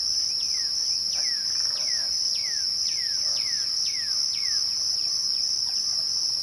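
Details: Crickets at twilight: a steady, unbroken high-pitched trill with a fainter, even higher band above it. Birds add repeated descending whistled notes, about one every half second.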